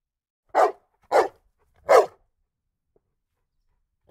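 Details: Strong Rhodesian ridgeback cross bullmastiff dog barking in a long sequence: loud, deep, abrupt barks about half a second apart, then a pause and another bark, in an otherwise quiet setting.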